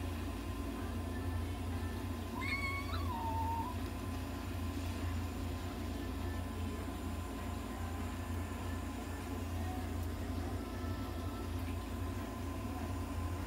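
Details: Bengal cat at a veterinary clinic during inhalation and oxygen therapy gives a single drawn-out meow that rises and then falls, over a steady low machine hum and faint background noise.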